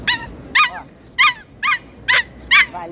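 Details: Stressed female pinscher barking and making a fuss on arrival at the beach: six short, sharp, high-pitched barks spaced about half a second apart over quiet background noise.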